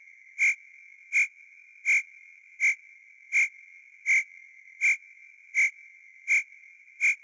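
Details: Cricket chirping at night, single clear high chirps repeated evenly about every three quarters of a second against a quiet background.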